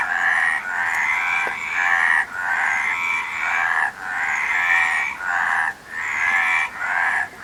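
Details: Frog chorus of grating, pulsed croaks in drawn-out bursts, paused every second or so, with a faint click heard once near the start.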